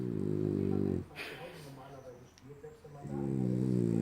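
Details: Sleeping French Bulldog snoring like a human: a low, buzzing, harmonic-rich snore lasting about a second, a quieter pause with faint indoor rustling, then another long, loud rasping snore.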